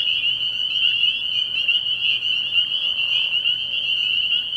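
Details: Many spring peepers calling together at a frog pond at night in early spring, their high peeping notes overlapping into an unbroken shrill wall of sound with slight pulsing, plus a faint low hum.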